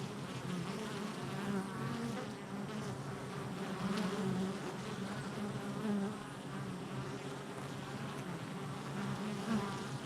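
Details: Activity at a honey bee hive entrance on July 22nd, 2024, heard as an unbroken, many-voiced droning hum with brief louder passes of single bees flying close.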